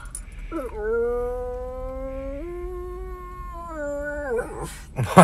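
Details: A 'talking' dog from a TikTok compilation gives one long, steady, tonal howl of about three and a half seconds. Its pitch steps up once midway, holds, then drops away. Noisy bursts follow at the end.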